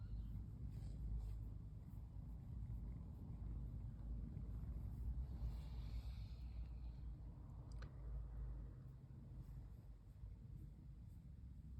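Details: Pon, a female brown tabby cat curled up and being stroked, relaxed. A steady, low, rumbling purr continues throughout, with a faint hiss midway and one sharp click near the end.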